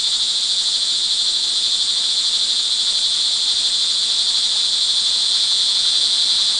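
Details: Early-evening crickets in the rain at Montalban, Rizal, Philippines, June 24, 2011: an unbroken, shrill, high-pitched chorus of many insects, layered trills holding a constant level.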